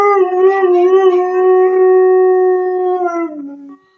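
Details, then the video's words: Purebred Siberian Husky in service dog training, howling: a sustained tonal howl that wavers slightly at first, holds steady, then drops lower and fades out near the end. "Make your dog howl like crazy"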